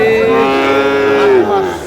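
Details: A Sahiwal bull calf, said to be about eight months old, being bought by a farmer from Comilla, Bangladesh, gives a loud, steady moo of nearly two seconds, rich in harmonics and dipping slightly in pitch near its end.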